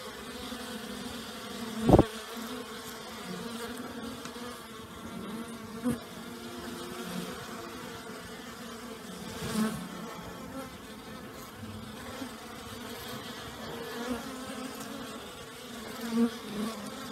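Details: ["Active honey bees in warm new-year weather after last night's downpour: a soft background drone of many bees, punctuated by sharp, loud buzzes of single bees flying close by at around two, six, ten and sixteen seconds."]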